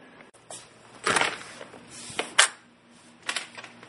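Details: Sharp clattering taps and short rustling bursts in a small indoor room, with no animal voice.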